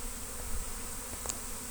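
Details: A large honey bee swarm coming in at a house in Destin on Good Friday 2025, recorded while trapping swarms; continuous buzzing drone with steady low tonal bands and a faint click near the end.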